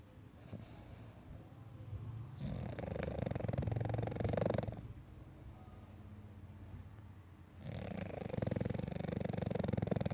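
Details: Pet dog sleeping and snoring: long rasping, rumbling breaths in drawn-out waves of about two seconds, separated by quieter pauses, with steady low room noise.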